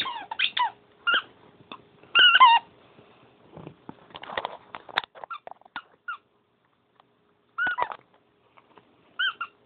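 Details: Dog playing when it is time for bed, with scattered high squeaky whimpers and short yips separated by quiet gaps, plus faint rustling.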